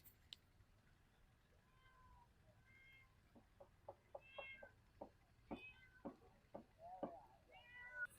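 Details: Cat meowing beside a pumpkin trellis and banana plants: about five short harmonic meows, rising then falling, spread across the stretch, with sharp clicks and taps between them and a man talking quietly.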